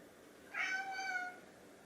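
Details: Hungry house cat, one of two named Chai (orange tabby) and Sushi (silver tabby), meowing indoors to ask for food; a single drawn-out, level meow lasting under a second with rich harmonics, otherwise quiet room.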